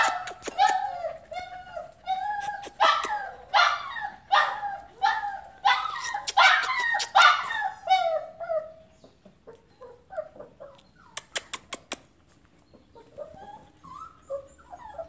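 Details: Border Collie giving a run of high, tonal yips and whimpers, about one every half second for the first nine seconds, then softer scattered whines and a few sharp clicks.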